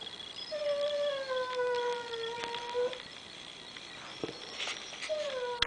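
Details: Diva, a pet dog missing her grandson, howls after hearing him on the computer: a long, slightly falling tonal howl, then a short second howl near the end; quiet background with faint clicks.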